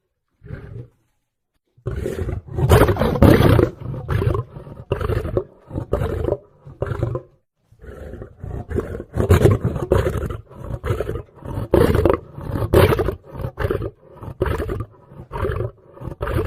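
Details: Lion producing a long, dense run of harsh, snarling roars and growls, bursts coming in quick succession with only short gaps, loud and gravelly throughout.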